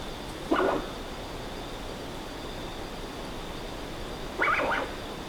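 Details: Common ringtail possum recorded on location, making its typical wheezy, squeaky calls: two brief chirruping, bird-like squeaks about four seconds apart, the second slightly higher, over quiet background hiss and a faint steady high tone.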